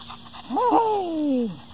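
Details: Bullet, a dog, heading to his dog cave: one tonal whine that rises quickly, then glides slowly downward for about a second before fading, over a steady faint hum of insects.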